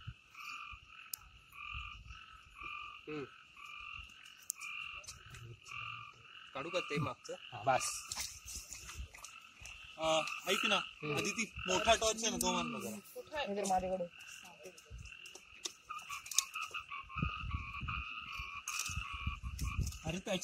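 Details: A night frog chorus in forest in the Amboli hills, Sindhudurg: dense trains of quick repeated notes run throughout, with a burst of loud, rough, lower croaks around the middle.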